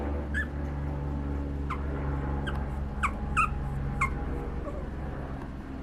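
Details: Pomeranian puppies at a breeder give short, high whimpering yelps, about six spread across a few seconds. Some are single and some come in quick pairs. A steady low mechanical hum runs underneath throughout.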